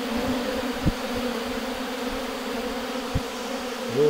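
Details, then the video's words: Buzzing of honey bees at a hive: a continuous low, even drone with a few short bursts of louder buzzing, likely bees passing close by. "यो चाहिँ मौरीको आवाज हो।"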